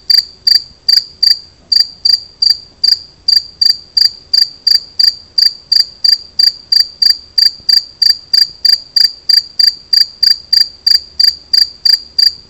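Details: Gryllus bimaculatus, the two-spotted cricket, giving its song as a fast, even series of sharp, ringing chirps, about three per second, sustained throughout with only faint low-pitched background noise.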